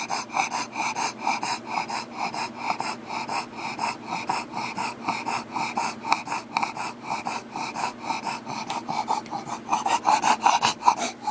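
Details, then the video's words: Heavy, fast breathing from a Bulldog, snorting and wheezy, each breath coming roughly two to three times a second in an unbroken raspy run. "Heavy breathing of a Bulldog."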